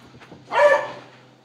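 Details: Bailey, a beagle, barks during a tug-of-war fight over a blue toy: one short, sharp, harmonic-rich bark rising to a peak and fading within half a second, over a steady low electrical hum.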